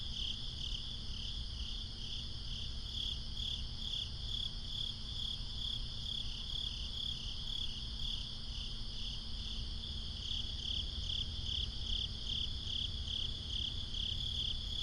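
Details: Swamp crickets at night produce an unbroken shrill trill, throbbing a little over two times per second, with a second fainter trill band above and a low background rumble.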